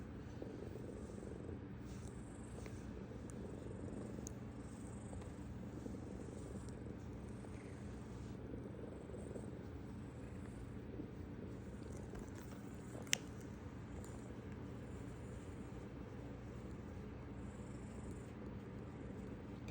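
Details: Nineteen-year-old cat Wumi purring, 14 November 2025, after a long time without meowing: a continuous quiet low-pitched rumble with gentle swells, one sharp click near the end, and a faint high hiss.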